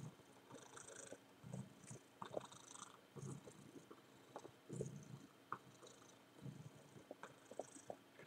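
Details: Domestic tomcat humping a much-worn teddy bear: quiet, low rumbling purr in short bursts of under a second, over steady hiss and rubbing, rustling noises from the toy.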